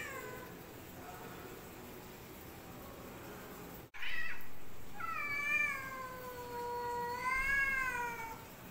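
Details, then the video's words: Black cat squaring up to a white cat in a fight, giving a long drawn-out wavering yowl that rises and falls, over steady low background rumble and a sudden loud thump midway. "Cat VS Cat Black Cat Try To Fight white Cat"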